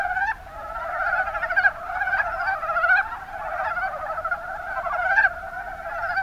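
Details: Mountain brown frogs (Rana ornativentris) calling in the Kuma Basin, Kumamoto, Japan: many overlapping rattling, pulsed croaks form a dense, nearly continuous chorus. Louder surges stand out at intervals.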